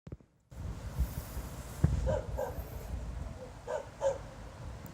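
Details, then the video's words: A dog barking without apparent reason at night, 02:28 on 26 November 2016, after barking all night: a pair of distant, hoarse barks, a pause, then another pair, over a low steady rumble. "Снова беспричинно лает собака."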